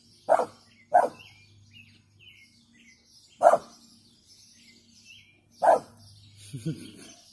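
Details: Female brindle American Staffordshire Terrier giving weak warning barks indoors: four short, soft woofs at irregular intervals, with faint chirping birds in the background and a person speaking quietly near the end.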